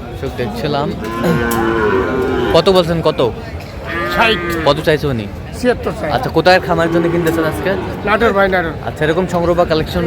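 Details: Sahiwal breed bull at a Natore cattle market on 2 February 2025, lowing in several long, even moos with a slight upward bend, spaced a few seconds apart, amid loud market chatter and scattered knocks.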